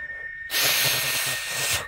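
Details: Black, big-winged cicada singing in the season as the rains approach, said to be calling the water so it will rain; a loud steady high hiss starts abruptly and holds for over a second before stopping, with a faint steady tone beneath.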